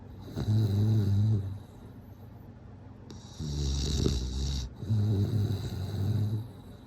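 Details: Bulldog asleep, giving deep, throaty snores that vibrate and rattle, each lasting about one to two seconds, with soft wheezing intakes and short quiet gaps between them.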